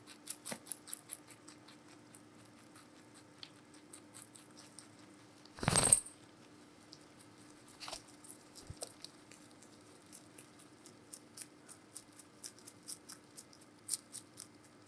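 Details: Giant rabbit named Meonji eating vegetables indoors, recorded close up: a steady run of short, sharp crunching clicks with one loud rustling burst midway.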